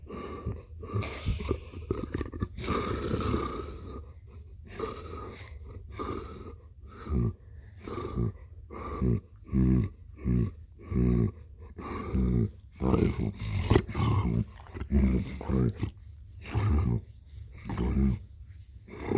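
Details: A cat named Blue purring: a deep, rumbling purr that swells and fades in rhythmic pulses, roughly one per second, following each breath in and out.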